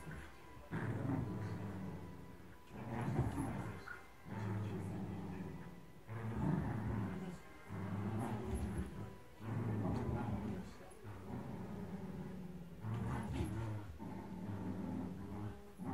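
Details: Blue merle Shetland Sheepdog growling during a tug-of-war game in early 2018: deep rumbling growls in bursts of about two seconds, separated by short pauses, with faint voices in the background.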